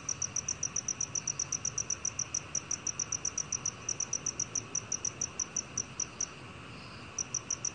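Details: A black cricket in a 2020 Korean national institute recording gives regular high, clicking chirps that slow slightly toward the end. A short pause follows before the chirping starts again.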